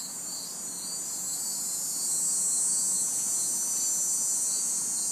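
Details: Crickets and cicadas on a humid summer night in an urban backyard; an intense shrill cicada drone rises and holds above rhythmic cricket chirps pulsing roughly three times a second.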